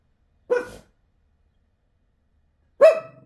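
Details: Pet Shih Tzu barking indoors at another dog seen out the window: two short, sharp barks about two seconds apart, with silence between.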